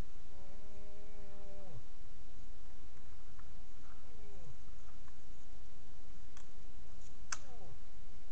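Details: Moose during the rut, filmed wild in the bush by a heat-activated trail camera, with a limping cow present. A drawn-out harmonic moan of about 1.5 seconds ends in a downward slide, then two shorter falling calls, with scattered clicks and insect buzz.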